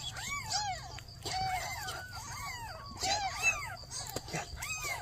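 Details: Several newborn kittens meowing together while their mother cat asks for help: overlapping, bending high meows in quick bursts, some rising and falling, with a faint low hum underneath.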